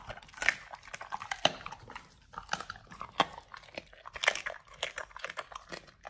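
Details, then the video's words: Pit Bulls on a raw BARF diet eating raw beef chunks, quail eggs and duck wings; loud close crunching and tearing bites, sharp cracks repeating roughly every half second in an indoor room. "Dogs eat RAW Beef Trimmed Chunk, Quail egg, Duck wing combo [ASMR]"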